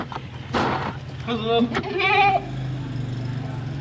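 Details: Female goat in heat and ready to mate, kept on a small home-made goat farm, gives two wavering, quavering bleats in quick succession, with a steady low hum and nearby voices in the background.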